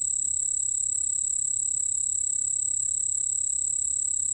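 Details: White-whiskered bell cricket singing a shrill, sustained metallic trill without a break, a bright high tone over a weaker lower band, from a 2020 National Institute of Biological Resources recording; only faint background hiss otherwise.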